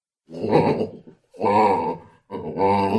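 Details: Baboon uttering three drawn-out, hoarse groaning grunts, each lasting nearly a second, separated by short silences, rough and throaty with a strong tonal core.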